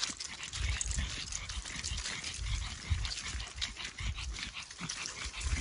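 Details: Winnie the Pekingese breathing hard while hurrying along a trail at Charleston Lake Provincial Park behind a fast-walking German Shorthaired Pointer; steady deep huffs about twice a second, with leaves crunching and birds in the background.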